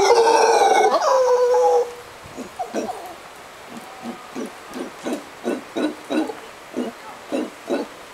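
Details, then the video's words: Sunset in Costa Rica: a loud, clear whistled note with harmonics opens, then howler monkeys take over with a regular series of husky, guttural grunts, several per second, fading slightly. "Howler Monkeys"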